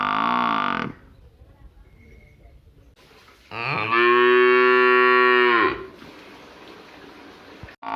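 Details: A village water buffalo gives deep, drawn-out bellowing moos, one brief and one long and steady.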